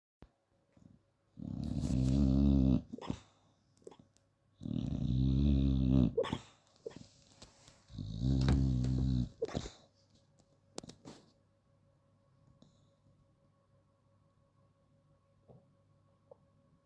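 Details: Female bulldog asleep and snoring: three loud, rough, low rumbling snores, each lasting about a second and a half and spaced roughly three seconds apart, then quiet breathing with a steady low hum and a few faint clicks.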